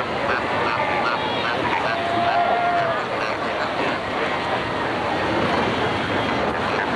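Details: Cape fur seals fighting and rearing pups at Cape Cross on Namibia's Skeleton Coast in 1992: honking, bleating calls overlap, with one long, steady tone standing out midway, and a constant rush of surf underneath.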